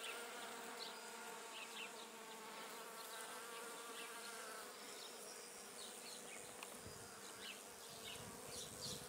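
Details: Foraging bee on Judas tree blossom (Cercis siliquastrum), visiting flower after flower; a continuous layered humming drone that holds steady throughout, accompanied by scattered thin high chirps in the distance.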